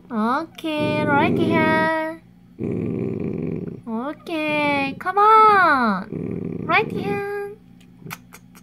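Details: Growling dachshund protecting a dog chew: rough, low growl bursts alternating with a person's rising and falling Korean speech and commands, several short growls across the stretch.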